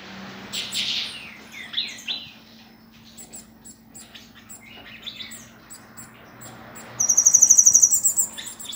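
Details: Queen cicada, locally cigarra rainha: scattered high chirps and brief buzzy notes at first, then from about seven seconds a loud, rapidly pulsing shrill buzz that holds to the end.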